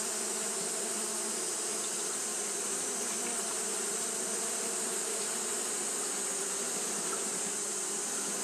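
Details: Fanning Japanese honey bees on a hot day: a continuous, massed wing drone, level and unbroken, humming low with a sharp hiss overhead.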